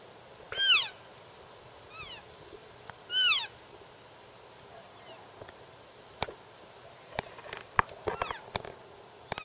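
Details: Elk babies in a back yard give high, squeaky mewing calls that arch up and then slide down, spaced a second or two apart.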